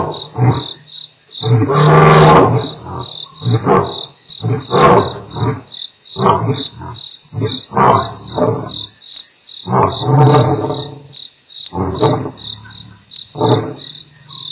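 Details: At Nkorho on 12/11/07, two lions from the Mapogo Coalition continue a roaring sequence on Africam's live feed: a loud low roar, then a run of rhythmic grunts dwindling away, crickets trilling steadily overhead.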